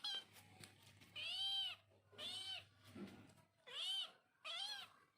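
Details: Domestic cat or kitten meowing five times, each meow a bright, drawn-out call that rises then falls, spaced about a second apart with short quiet gaps and a faint low hum behind.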